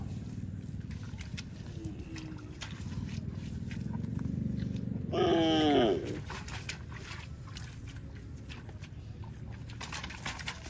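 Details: Cow giving one short, loud moo near the middle, tonal with stacked harmonics and sliding slightly downward over about a second, set against a constant low background rumble.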